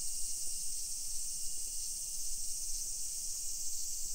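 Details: Cicadas singing at 1 PM on 28 July 2021 in suburban Nisshin, Aichi Prefecture, Japan, near Nagoya. Their shrill, continuous sizzling drone holds level throughout, with a soft low background hum beneath it.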